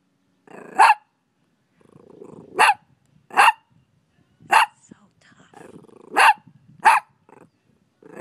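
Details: Barking from a five-month-old pet puppy: six sharp, bright barks spread over eight seconds, roughly one every second, with soft rustling and murmured noise between them.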